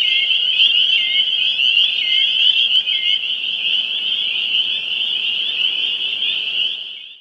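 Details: A dense chorus of male spring peepers calling to females on Cape Ann, Massachusetts: many high, shrill peeps blending into one continuous ringing sheet of sound.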